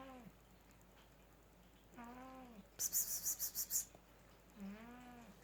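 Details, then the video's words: Sleeping male cat snoring, louder than some humans: two droning, slightly arched snore notes about three seconds apart, separated by a person's rapid hissing psst-psst calls. "Cat snores like a human!"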